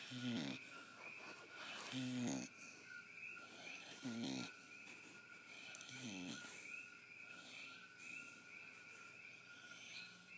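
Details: Pit bull asleep and dreaming, snoring in soft harmonic rasps that come roughly every two seconds, with quieter breathing between them and a steady faint background hum.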